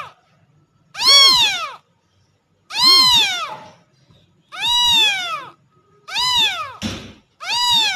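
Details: Kitten; meow; crying for its mother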